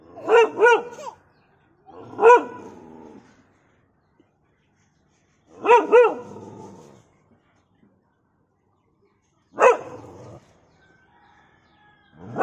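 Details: Dog barking in short bursts, double and single barks with strong harmonics, spaced a few seconds apart with quiet gaps between, a whine-like tail after the last bark.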